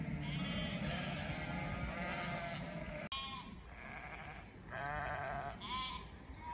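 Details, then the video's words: Flock of sheep with a chorus of bleats, some long and trembling, others short and higher, following each other rapidly over steady low background noise. "A FLOCK OF SHEEP"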